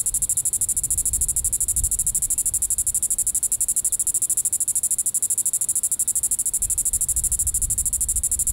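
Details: Evening call of a Diceroprocta vitripennis cicada, Sand Hills State Park, Reno County, Kansas, July 20, 2014. Shrill, sizzling buzz throbbing in quick regular pulses, roughly three per second, with faint low rumble underneath.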